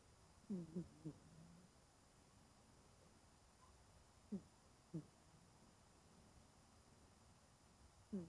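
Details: Genki-kun, an elderly 20-year-old cat fast asleep and curled up, snores in a quick cluster of three short, low, nasal squeaks. Scattered single snores follow every second or so, then another burst at the end. The room is quiet.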